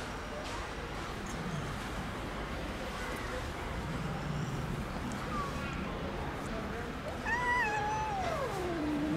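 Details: Domestic cat among the Istanbul street cats living in a fenced safe zone with cat houses, fed daily; one clear, drawn-out meow near the end, starting high and sliding downward, over a steady low background rumble of distant traffic.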